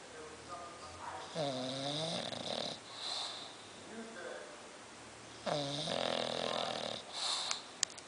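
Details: Sleeping bulldog snoring indoors: two long rasping harmonic snores, one near 1.5 seconds and one near 5.5 seconds, each lasting about a second and a half, with quieter breathing between and a faint hiss.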